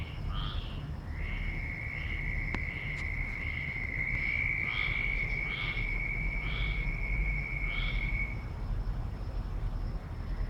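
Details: Very loud frogs calling outdoors: short croaking notes repeated roughly once a second, each with stacked overtones, over a steady, unbroken high insect-like trill and a low background rumble.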